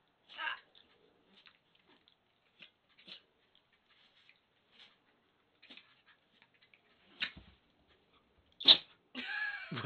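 A Yorkshire Terrier puppy gives a sharp, sudden sneeze after a run of soft snuffles and sniffs.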